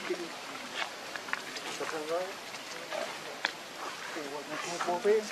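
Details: Hungry baby monkey Lucie begging its mother for milk: a series of short, wavering, squeaky cries, some bending up and down in pitch, scattered across the clip with a louder warbling squeal near the end over faint outdoor background.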